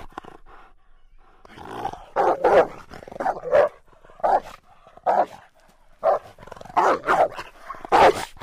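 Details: Rottweiler giving a run of gruff, deep barks at uneven intervals, often in pairs, with quieter throaty sounds between the loud barks over about eight seconds.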